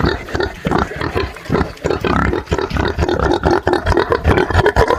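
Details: Pigs on a farm or smallholding in Brazil, grunting in a dense overlapping chorus of low, rough, pulsed snorts and grunts, several animals calling at once with no quiet gaps.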